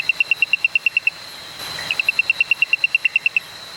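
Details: An Ochlandra reed frog (Raorchestes) in the Western Ghats near Malakkappara, India, calls at night from low down by a roadside, giving rapid, high clicking notes in two quick bursts.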